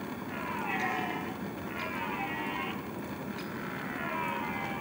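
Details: Roaring red stag in rut season: a quick run of three or four rough, harmonic roars, closely spaced and fading toward the end, with a steady background hiss.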